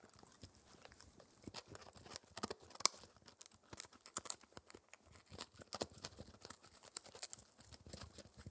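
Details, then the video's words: Spencer, a male Shetland Sheepdog puppy four months old, works at a raw air-dried ear dental treat indoors. Crackly, high crunching clicks are scattered and quiet, with one sharp snap near the three-second mark. "Puppy Dog Eating Raw Ear (Lamb Venison Beef or Pork) Oddly Satisfying Chewing Sounds"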